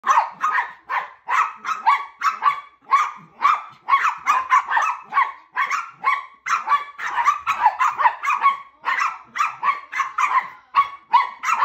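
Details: A West Highland White Terrier barks at his sister while she patrols for squirrels. He gives rapid, continuous, sharp, high-pitched yaps.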